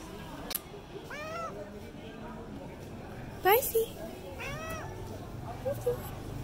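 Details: Orange tabby cat indoors giving soft high meows, three short arched calls spaced about every one to one and a half seconds, with a person calling the cat's name in the background.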